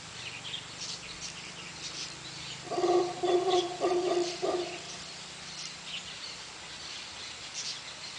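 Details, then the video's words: Howler monkey family that had come down the river and gathered by a road: a rough, pulsed bout of calling lasting about two seconds, rising out of a steady low mechanical hum, with scattered bird chirps in the background. "Howler Monkey"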